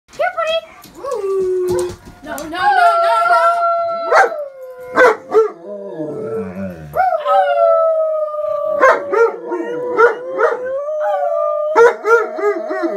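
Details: A German Shepherd gives long, wavering howls in answer to a siren, alongside a howling husky.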